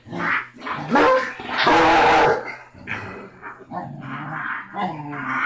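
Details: Six-week-old Basset Hound puppy named Rocky, the smallest and loudest of a litter of six, gives rough growling barks with a loud harsh burst near the middle, amid scuffling and a steady low hum.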